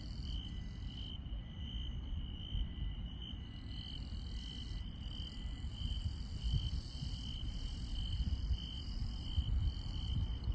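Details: Grass insects on a countryside night: a steady, high-pitched continuous trill runs throughout, with fainter, broken chirping higher up. A constant low rumble fills the background.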